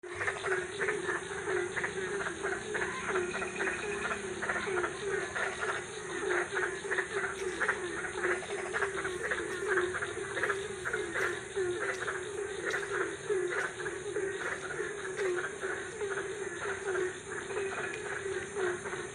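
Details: Frogs calling at night in Ambon, a dense steady chorus of rapid repeated croaking pulses, many callers overlapping throughout with a constant high insect-like hum above.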